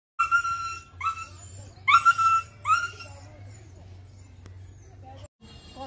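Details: Dog crying: four tonal, whining cries spaced about a second apart, each starting with a brief rising slide and then holding steady, the third loudest. A low steady hum runs beneath, and the sound fades to quiet murmuring at the end.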